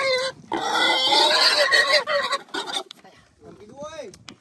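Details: A pig caught from a free-roaming herd in the forest for sale screams harshly and raspingly for about two seconds, then breaks into short cries. A person speaks near the end.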